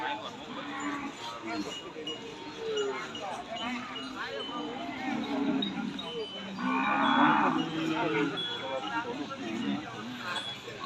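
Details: Cattle at a Saturday cattle and buffalo market in Nong Na Hai, Sum Sao, Phen district, Udon Thani, Thailand, on 22 January 2022; a short low moo rises over dense crowd chatter, with a brighter drawn-out call near the end.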